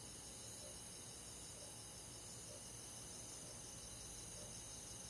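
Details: Summer-night crickets in a rural forest, a constant shrill buzzing chorus of many insects, with a faint lower note pulsing about once a second under the unbroken high trill.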